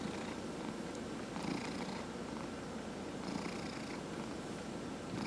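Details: Purring house cat during a massage, one of four cats in the home: continuous low rumble with gentle pulsing breath cycles, faint rubbing and rustling sounds over it, quiet room.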